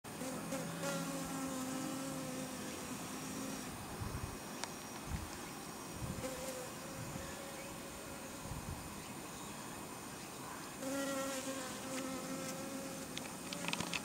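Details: Honey bees gathering at white garlic chive flowers give a steady droning buzz with humming overtones that fade and swell as insects pass close, over constant outdoor background noise and occasional thumps.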